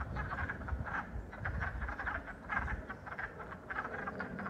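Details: Wood frogs calling on the first day of spring 2022, a dense chorus of overlapping low, duck-like clucking croaks forming a continuous rattling murmur, with low rumbling background noise.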